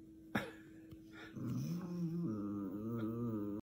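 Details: A Chihuahua, shown as angry, begins with a soft tap and faint sounds, then gives a low, wavering growl-like moan that holds and shifts in pitch for about two seconds.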